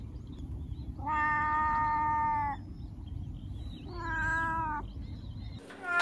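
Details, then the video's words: Domestic cat meows used to attract other cats: two long, steady, even-pitched meows, the first held about a second and a half, the second shorter, over a low rumbling background hum. "Meows to ATTRACT CATS"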